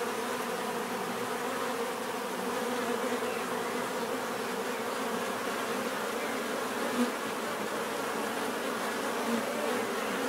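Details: A crowd of bees hums continuously, a thick, unbroken buzz with a deep tonal core and airy upper fizz, with only a couple of faint louder passes near the end.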